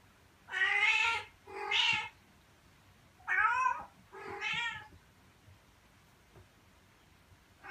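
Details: A mother cat gives drawn-out, harmonic meows in pairs, calling her kittens to stay by her and come outside, which she thinks is safer than the room she keeps going in and out of.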